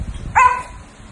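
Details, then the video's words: Maltese dog wanting to eat at the table gives a single short, high yelp, tonal and slightly falling, then fading away over low background rumble. "[ Maltese dog breed ] Want to Eat in the Table"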